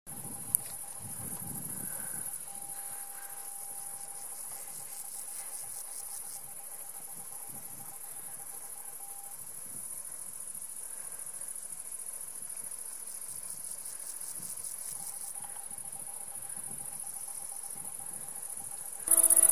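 A great green bush-cricket produces a continuous, very high-pitched sizzling song made of rapid ticking pulses. A faint steady tone and low rumbling in the background accompany it.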